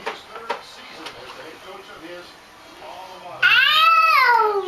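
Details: Thomson, a cat helping himself to the goldfish, lets out a loud, drawn-out meow that rises and then falls. It follows a stretch of quiet background noise with soft human speech.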